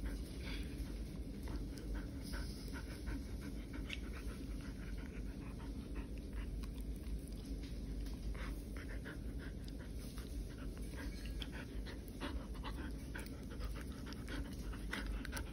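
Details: Poodle playing at home indoors, panting steadily in quick breathy bursts repeated several times a second, with soft scuffing and clicks of play in a small room throughout.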